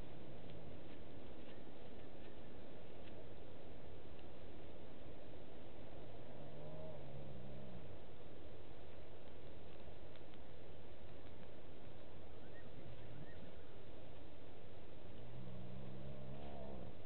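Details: Hyena calls at night (19:33, 09/10/18) near Gowrie dam waterhole, Djuma Game Reserve, Sabi Sand, South Africa: low hooting sounds that swell and fade twice in the distance, in the background while a nervous duiker drinks.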